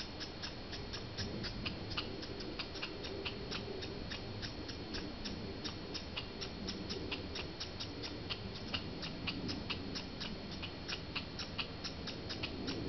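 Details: Squirrels fighting in Banff, Canada, give a long even series of crisp ticking clicks, about three a second, against steady low outdoor noise.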